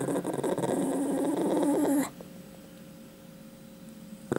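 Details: Dog growling over a chicken bone it refuses to return, in a small room: a continuous low rumbling growl for two seconds, then fading into quiet room tone.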